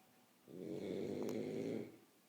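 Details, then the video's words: A single drawn-out snore from a sleeping French Bulldog, a rough, throaty rattle lasting around one and a half seconds, rising in from quiet and fading back out. "Bulldog Francês Roncando"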